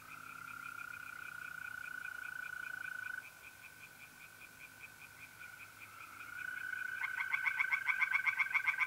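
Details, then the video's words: Tree frogs singing by a pond on a mid-April night in North-East Italy: a steady high trill of mole crickets runs throughout, faint rapid frog pulses beneath, then a loud fast rattling frog series bursts in over the last two seconds. "relaxing singing tree frogs in pond and trilling mole crickets by night"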